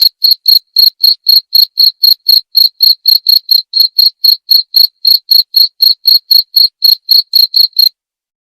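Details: Cricket chirping steadily, offered as a sound to drive away rats and as calming sleep therapy; short high-pitched pulsed chirps repeat about four times per second without pause, with no other sounds.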